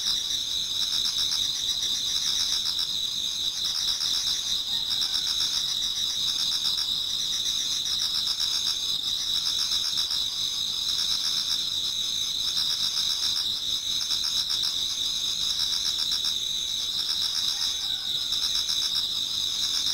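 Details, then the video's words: Toward dawn in autumn, a Japanese garden rings with many singing insects: steady high-pitched trilling joined by rhythmic pulsing chirps, quick and even, with no pauses throughout. "Autumn Insects voice Towards dawn"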